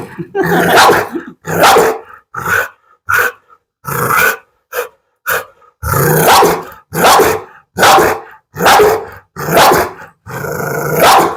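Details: Pit Bull in a dog challenge giving a run of loud rough barks, some short yips mixed in, spaced unevenly about once a second, with growling undertones.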